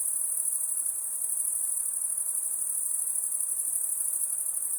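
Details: High continuous trilling of crickets at night, many insects blending into one steady shimmering drone, no breaks, only faint low noise in the background.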